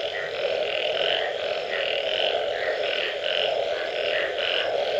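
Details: Frogs calling after rain: a dense, steady chorus with a continuous low droning hum under bright, pulsing calls that swell roughly once a second, many callers overlapping without pause.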